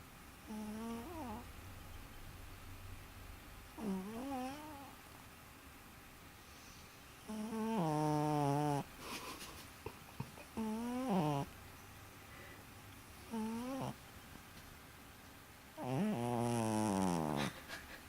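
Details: Sleeping domestic cat snoring indoors: six loud, whistling, tonal snores in 18 seconds, each with a rising then falling pitch, roughly every two to three seconds. The later snores are louder and longer.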